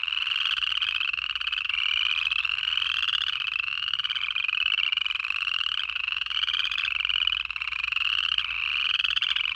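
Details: Native frogs calling in the Georgia Piedmont in January; a dense chorus of rising, trilled high calls overlapping continuously, each sweep lasting about a second and repeating without pause, with a faint low rumble beneath.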